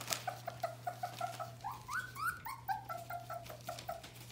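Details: Nearly four-week-old Bohemian Shepherd puppies, F litter, indoors: a steady string of short whimpering squeaks about three per second, briefly rising into higher upward-sliding whines midway, over a low steady hum.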